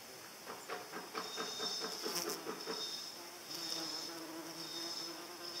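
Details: Paper wasp in flight giving a low, steady buzzing hum with a faint tonal layer from midway, over a bed of crackling, ticking background noise and a short run of rapid clicks early on.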